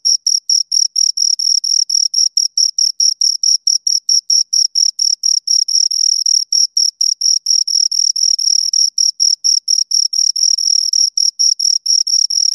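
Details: Two crickets chirping loudly at close range: rapid, steady pulses of a shrill high-pitched trill, roughly two chirps per second, with a fainter higher overtone and a silent background.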